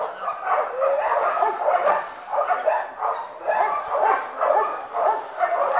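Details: Domestic dog greeted at home, giving a continuous run of tonal, wavering whines and yips in pulses about every half second to one second, mid-pitched and harmonic, with no clear speech over it.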